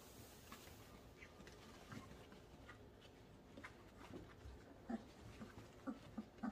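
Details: Three-week-old German Shorthaired Pointer puppies learning to interact with each other make soft whimpers and brief squeaks, with shuffling and rustling between them.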